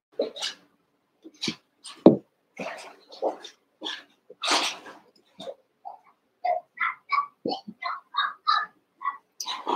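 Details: Cavalier King Charles Spaniel puppies, seven weeks and about a month old, wrestling in the Red Barn puppy pen; rough little barks and growly yaps give way to a quick series of high, squeaky yelps.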